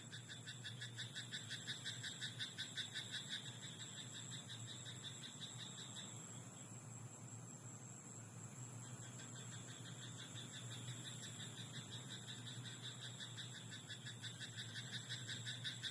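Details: Frog croaking at night in a rice paddy: fast rattling pulse trains lasting several seconds, pausing briefly near the midpoint, then resuming. A steady high insect-like whine and a low constant hum run beneath.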